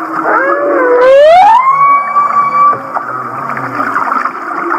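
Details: Laughing humpback whale song from Kihei, Maui: a single swooping cry dips, then climbs steeply into a long steady whistle, with a rich burst of overtones at the turn and murmuring lower tones after.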